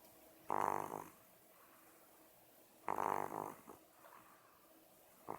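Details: Bob, a domestic cat and loud snorer, asleep: two harsh, rasping snores roughly two and a half seconds apart, each a half-second burst of noisy breath, with a softer trailing snort and the start of another at the end.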